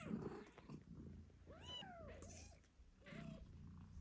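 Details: British Shorthair kittens eight days after birth give thin, high, wavering mews while their nursing mother purrs low and steadily, talking to them.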